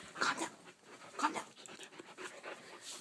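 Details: A two-month-old male St. Bernard puppy with hiccups, on a bed, gives two short, sharp yips about a second apart amid breathy panting.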